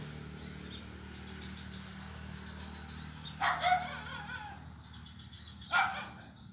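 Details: On an ulin wood bridge in Kuala Kapuas, Central Kalimantan, a blind kitten at play gives two short, bright mews about two seconds apart, recorded 25 November 2019, over a low steady hum and faint high chirps.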